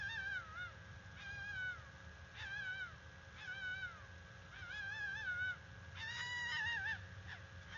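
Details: A female red fox (Vulpes vulpes) gives harsh, wavering mating-call screams in short bursts about every second over a steady low background rumble, recorded 17 November 2021 at a bald eagle nest.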